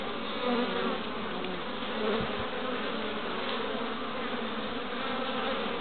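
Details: Many honey bees (Apis mellifera) working the entrance of their hive in Pembrokeshire, west Wales, 11 March 2012, returning with pollen; continuous low buzzing swarm drone with brief passing wing whines and one soft thump near the middle.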